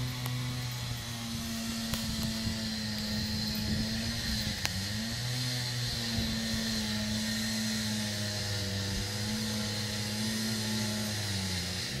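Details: A continuous mechanical drone, like an engine or aircraft, hums throughout with a steady low tone that wavers slightly, plus broad hiss and occasional clicks.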